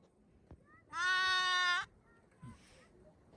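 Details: A newborn lamb gives one loud, steady baa lasting nearly a second, rich in harmonics, over a faint background murmur with a few weak distant calls and soft noises.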